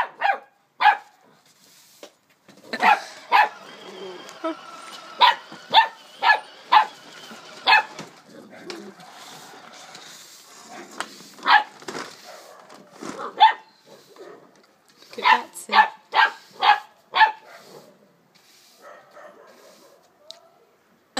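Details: A female Springer Spaniel puppy, 12 weeks old, barks indoors in quick bursts of three to five sharp yaps with short pauses between them; quiet human speech is heard in between.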